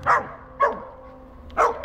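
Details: Benson, an Old English Sheepdog puppy, gives three short, bright barks, the first two close together and the last after a pause of about a second, with a faint steady hum underneath.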